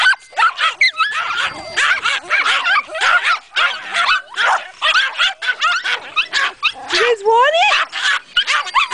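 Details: Agitated dogs at Kingcreek Kennel, provoked by a meow, let out a dense stream of shrill yips and barks with rising whimpering squeals near the end.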